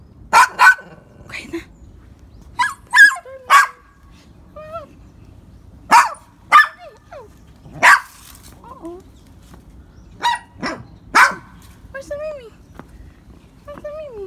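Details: Poodle giving short, sharp high yips, about a dozen spread over fourteen seconds in uneven clusters, with quiet talking and faint squeaky sounds between them indoors.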